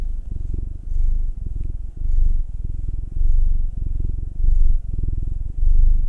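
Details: Domestic cat purring while being massaged, one of two house cats: Will, a nine-year-old black male, or Anzu, a two-year-old female tortoiseshell Munchkin. The deep rumbling purr swells and fades in distinct breaths, roughly one every second, over soft handling rustle.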